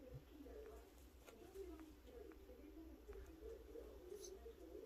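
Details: Snoring pet cat, a sleeping young female, droning on in a steady low hum that rises and falls with each breath, a cooing, wavering tone over faint room noise.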